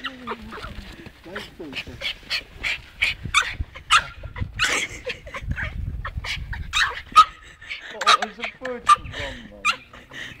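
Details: Scotty the dog attacks and destroys a snowball in the snow, making excited high whimpers, squeaky yips and short barks throughout, while people talk and laugh nearby.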